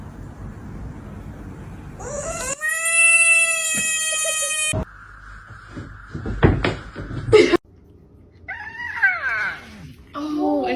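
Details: Domestic cat voicing a long, steady, strongly tonal cry, then a shorter falling meow after a pause, with a person talking in between and household noise.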